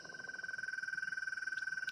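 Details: A male American toad gives its mating call to attract females, a long, steady, musical trill on one high pitch.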